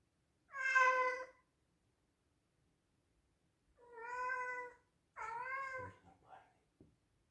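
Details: Pet male Scottish Straight cat meowing loudly indoors: three harmonic meows, the first bright and short, the second longer and flatter, the third bending downward, followed by faint soft clicks.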